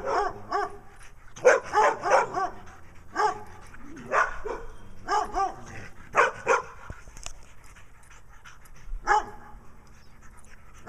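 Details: In Wadena, Minnesota, a brown dog barks for attention beside Stella, a black-eye-patched dog acting nutty; irregular bursts of two or three sharp barks, quieter spells between, ending with one lone bark.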